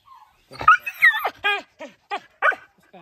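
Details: Laika puppies giving a quick run of short, high, whining yips that rise and fall in pitch, about six in three seconds, with gaps of quiet between them.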